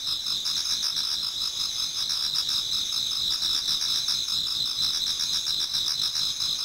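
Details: Many insects in a Japanese garden in autumn, nearing dawn, sing together in a continuous high-pitched shimmering chorus of stacked trills, with faint rapid pulsing beneath and no other clear sounds.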